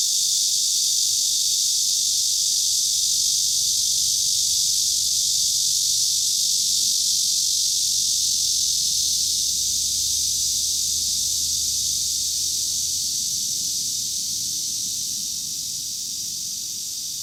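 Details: Chorus of Cryptotympana facialis and large brown cicadas in Kanazawa, Japan, 2013, with no other cicada species present: a continuous, bright, buzzing sizzle that stays level, then fades slightly toward the end.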